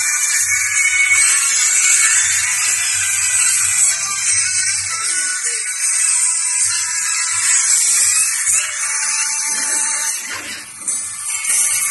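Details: Music over a steady high hiss in a small room, with faint shuffling and no animal voice.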